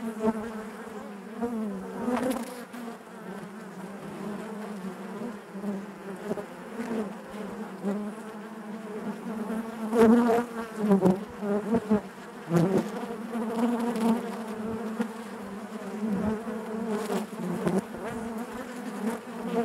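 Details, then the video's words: Bees in their hive produce a constant natural buzz, a deep resonant drone with overtones, rising and falling in loudness with several stronger surges and scattered light clicks. "bees therapy hive natural buzzing sound"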